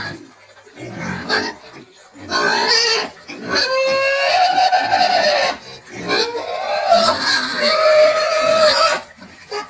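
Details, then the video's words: Screaming pigs of a rustic, precocious meat-and-lard breed suited to field rearing: long shrill squeals lasting two to three seconds each, harsh and tonal with layered harmonics, overlapping into a near-continuous din. "SOM DE PORCO HIDDEN - SOUND OF SCREAMING PIG"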